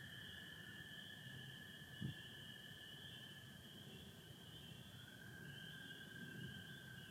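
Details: Spring peeper chorus with American toads on a partly overcast Michigan spring night, 24 April 2025: a steady high shrill band of massed peeps above a lower continuous toad trill that drops slightly in pitch midway, one soft thump near two seconds.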